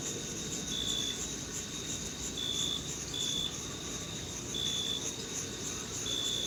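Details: June meadow crickets in summer give thin, even, high tonal chirps at irregular gaps of one to two seconds, set against a continuous shimmering insect hiss above and faint low rumble below.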